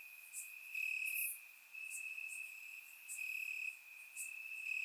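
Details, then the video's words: Night chorus of crickets in summer grass in Bulgaria, captured by a surround microphone: a continuous shrill trill rising and falling in loudness in bursts lasting about a second, over scattered very high insect ticks. "Cricket Sounds - Crickets Chirping at Night"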